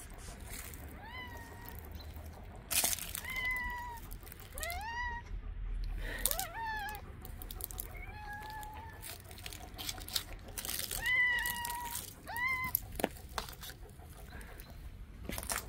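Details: Mother street cat urging someone to follow her to her hidden kittens meows again and again, roughly every one to two seconds. Each meow is a clear, slightly rising wail, with footsteps and rustling between calls.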